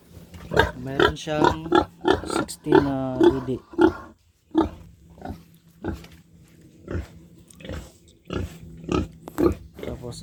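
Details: Backyard-farm pig, a gilt meant to become a breeding sow, grunting in its pen: a steady run of short, low, gruff grunts continues while a person talks over it.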